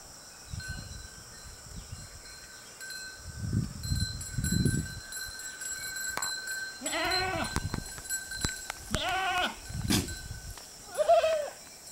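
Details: Goats from a herd grazing at the roadside utter two quick, quavering bleats midway, after several low rumbling noises, with a short high squeak near the end.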